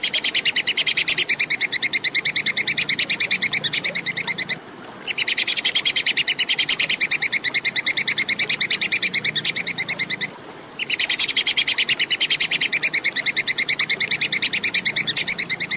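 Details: Plantain squirrel (tupai kekes) giving a clear call, used as training material for contest songbirds: rapid, even series of sharp high chips, several per second, in bouts of about five seconds broken by two short silences.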